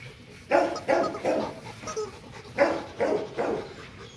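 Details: Loki, a two-and-a-half-year-old male Rottweiler at Gervi Kennel, playing: a run of about seven short, gruff woofs spaced under half a second apart, with a quiet background.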